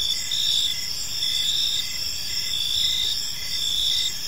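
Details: Gentle chirping of crickets in a park as evening unfolds, with a bright, continuous high-pitched buzz and a softer chirp beating regularly beneath it.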